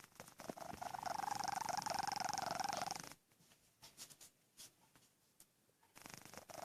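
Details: Tommy, a domestic cat, snores while asleep: a rasping, finely pulsed drone about three seconds long, then a quieter stretch of soft breathing and faint clicks before the next breath begins.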